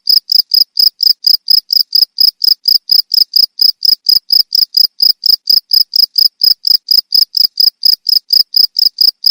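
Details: A cricket calls with rapid, evenly spaced shrill chirps, each a brief buzzy pulse, repeated roughly three times a second throughout.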